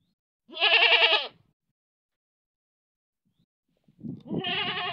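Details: Manpur village goat giving a loud, quavering, nasal bleat about a second long, then silence, then a second bleat beginning over a low rough rumble.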